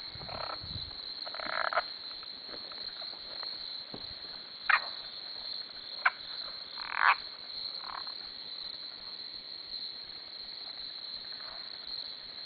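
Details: Frogs surrounding a farm dock at 2am, calling at night: scattered short croaks and bursts, a few louder sharp notes near the middle, over a steady high insect-like hiss.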